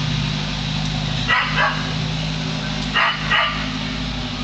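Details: Domestic dog barking at a hot air balloon overhead, recorded close: two quick double barks about two seconds apart over a constant low droning hum.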